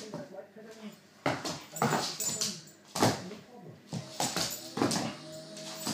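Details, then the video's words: Pharaoh hound roo while loving feet: drawn-out, wavering whine-like tones with stacked harmonics at the start and again near the end, with human talking mixed in throughout. "Pharaoh hound roo, loving feet"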